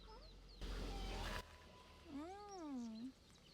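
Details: Pet cat scolding its owner for forgetting a promised play session, recorded 14–15 March 2022; one long wavering meow rising then falling over about a second, after a burst of rustling noise and faint chirps.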